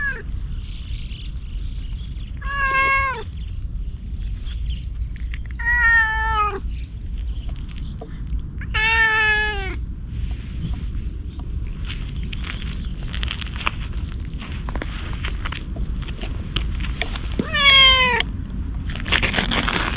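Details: Stray ginger tabby cat approaching a man as if asking for protection: four clear meows, each a drawn-out harmonic cry bending downward, spaced about three seconds apart, over steady low outdoor rumble and scattered rustling.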